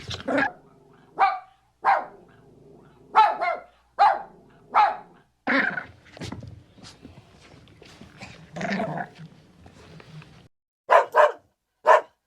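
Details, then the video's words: Puppies and dogs of various breeds, large and small, giving short sharp barks in irregular bursts with some growly, lower yelps between, then a quick run of three barks near the end. "Learn the sounds of cute Dogs and Puppies of different breeds"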